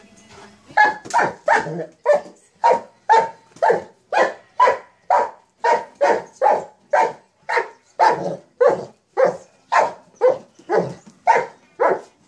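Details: Mastiff barking while playing with a sock monkey jack-in-the-box toy, deep, full-bodied barks repeated steadily about twice a second, some twenty in a row, each short and forceful, in a quiet indoor setting.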